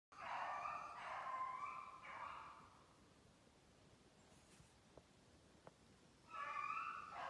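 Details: Kennel beagles in Maine bay while running snowshoe hare during summer conditioning on 14 July 2019. Drawn-out, ringing, howl-like bays with rich harmonics sound for about three seconds, then fade, then resume near the end.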